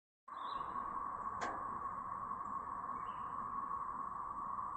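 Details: Siren-like chorus from a brood of cicadas in Chapin, South Carolina, May 7, 2024: a steady, unbroken mid-pitched drone starts abruptly and holds level throughout, with two faint bird chirps and a brief sharp click above.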